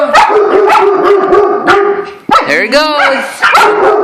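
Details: Dog barking in alarm at a squirrel: loud, rapid barks about every half second, with a drawn-out whining, wavering cry in the middle, while a person excitedly shouts along.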